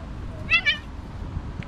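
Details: Cat, the mother of two kittens, suddenly attacking them: two brief, high, wavering meows in quick succession over a low background rumble.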